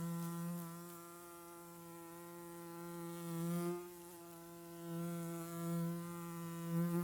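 A steady, low droning buzz of a bee, humming without a break and swelling slightly now and then.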